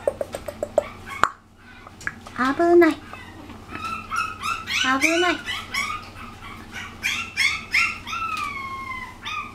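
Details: Puppy about six weeks old, the second daughter of a litter, filmed indoors on 17 March: high whining yelps rising and falling in short bursts, with quiet human speech and a faint steady hum underneath.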